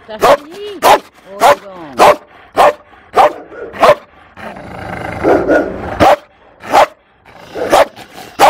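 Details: A fearful female Malinois at an animal shelter in Toulouse, France, in April 2014, barking in short sharp bursts about once a second, some barks with rising and falling whine-like tones, and a brief stretch of background noise between.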